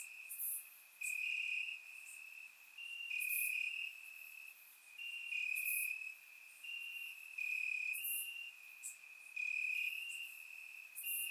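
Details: Crickets chirping in grass on a warm summer night in Bulgaria, recorded with a surround microphone; a steady high trill with overlapping long pulsed bursts about a second apart, several insects layered, faint very high ticks above.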